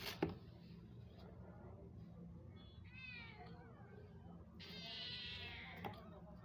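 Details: Mother cat with a new litter calling her kittens; a brief wavering meow, then a longer, louder, bright meow, with rustling, a few sharp knocks and a low steady hum indoors.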